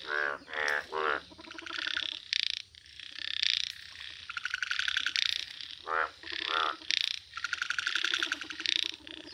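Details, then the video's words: Yellow-coloured Indian bullfrogs in nature give loud harmonic croaks in short bursts, with buzzy rattling notes and overlapping callers between the louder croaks. "Rare Yellow Frog Wonderful Indian Bullfrog Video | Frog Sounds"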